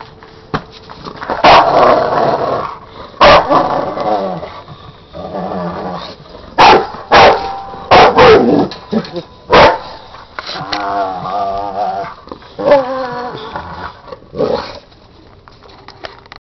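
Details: Frustrated male dog whose beer keg is stuck, frozen to the ground, letting out a long series of loud, abrupt barks mixed with growling and whining moans, while a man talks in between.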